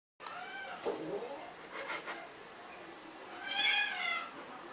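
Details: A persistent domestic cat that does not give up, indoors, makes a drawn-out meow at the start and another rising, strained meow near the end, with quieter mouth sounds and soft voice-like noises between.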